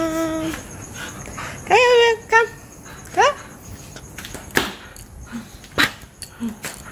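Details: Siberian Husky, happy, greeting its owner who came home late: high rising yelping whines and short vocal squeals in bursts, followed by sharp clattering thumps and a person speaking.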